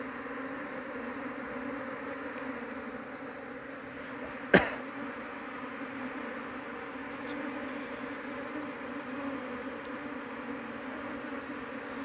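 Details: Asian honey bee (Apis cerana) colony, very large, disturbed during a search for its queen for home beekeeping; continuous even hum of many wings, broken once midway by a sharp knock or tap.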